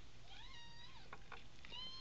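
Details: Three-week-old American Bobtail kitten from a litter of five, born December 18, 2010; one long, clear mew that rises and falls, followed by a few shorter, thin mews, over a low background hum.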